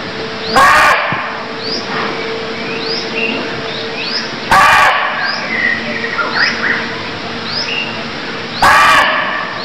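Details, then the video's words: Loud, coarse barks from a barking deer in Cambodia, three of them roughly four seconds apart, with many quick rising bird chirps and a continuous insect drone between calls. "Cambodia Sound Deer Calls || សម្លេងសត្វឈ្លូសស្រែក"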